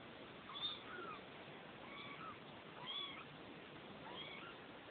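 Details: Neva Masquerade kittens, two weeks old, in a Czech cattery litter: thin, high, wavering mews repeated roughly every second, several small voices overlapping against a constant background hiss.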